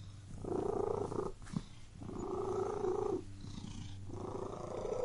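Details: Purring cat, two strong rumbling breaths and a softer third, separated by a brief click, over a faint low background hum.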